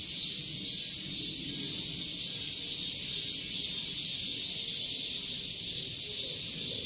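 Cicadas fill the air with a continuous, shrill buzz that holds steady from start to finish. It sounds like a dense chorus of many insects, with no other clear sounds.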